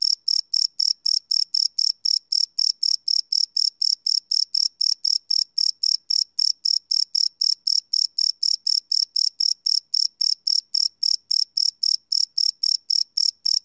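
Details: Crickets chirp at night in a live field recording, a long unbroken run of high, ringing pulses at nearly four per second, very regular and clean with nothing else audible.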